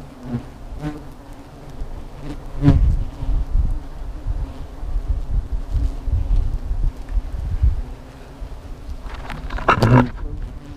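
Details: Steady low hum from a nest of disturbed hornets that are attacking, with scattered knocks and a loud rustling burst near the end.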